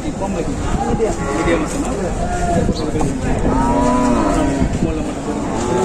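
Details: Bulls offered for Qurbani at Batajor cattle market on Tuesday, 26 March 2024; a drawn-out, low moo swells and fades in the second half amid steady crowd chatter, rumbling noise and other distant lowing.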